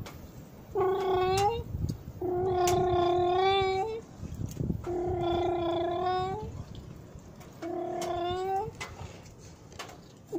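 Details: Cats in Jaromin on Christmas Eve, 24 December 2017, near midnight, meowing as a man hands out Christmas wafer and asks if they will speak with a human voice: four long, drawn-out meows with pauses, his voice faintly between.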